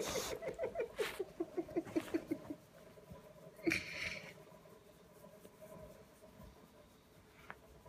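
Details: Little Bulldog sulking for attention at 7:30 on a Saturday morning, giving a quick run of short whiny whimpers for about two seconds, then a single louder squeak, followed by quiet room noise.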